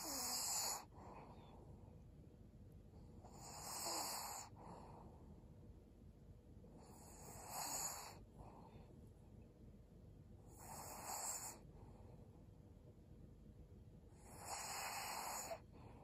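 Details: Resting quietly in Japan on 11 December 2022, Maria, a 12-year-old female fawn pug, gives five loud, hoarse, hissing snores, spaced roughly three to four seconds apart, with quiet breathing between them.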